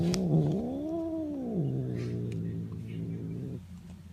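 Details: Male domestic cat vocalising while being petted: a low, drawn-out moaning yowl that rises and falls in a slow arch, then settles into a steady low drone.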